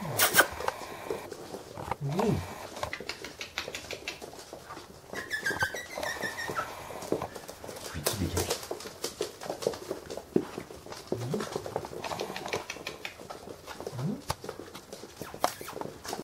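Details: Cairn Terrier puppies exploring the house and garden, with an adult dog playing among them, give short, rising whines and yips every few seconds over a woman's speech.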